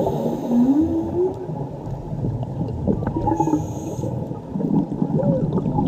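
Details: A mother whale and her calf sing underwater off Mexico. A clear, rising, wavering moan arrives early, followed by softer, shorter upturned notes, all heard against constant gurgling water noise.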